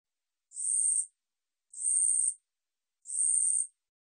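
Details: From a 2020 National Institute of Biological Resources recording: an Ussuri katydid producing three high, hissing buzzes of about 0.6 seconds, regularly spaced with quiet gaps of roughly 0.6 seconds between them.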